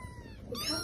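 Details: Kitten gives a short, thin, high-pitched meow that dips then brightens into a rising tone, over a soft low background.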